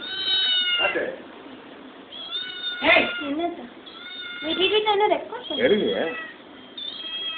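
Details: Hungry kitten crying with high, drawn-out meows rich in harmonics, some notes bending up and down, in bursts separated by short pauses while people talk in Tamil nearby.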